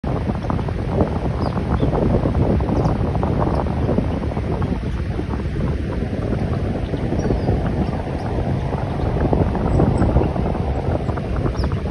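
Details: Steady wind buffeting and low rumbling noise, like wind over open water, with no clear animal calls.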